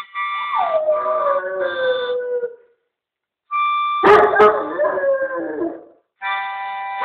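A Weimaraner howls in long, wavering tones that slide downward, over steady musical notes.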